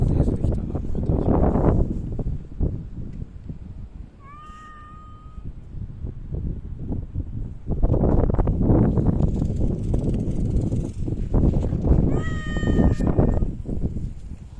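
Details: Cats living in a park, seen on 3 August 2023 once Typhoon No. 6 had moved through; two separate plaintive meows about eight seconds apart, set against steady low rustling, thumping and handling noise.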